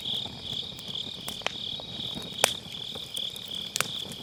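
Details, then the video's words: On an autumn night by a round fire pit, grass insects produce a shrill, steady, faintly pulsing ring, recorded on a Sennheiser MKE600 with low cut, while burning wood crackles with three sharp pops. "가을밤 풀벌레 소리"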